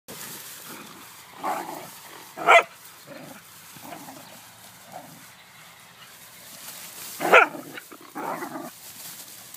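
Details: Whippet dog giving two sharp, loud single barks about five seconds apart, with quieter scattered noises and murmuring sounds between them.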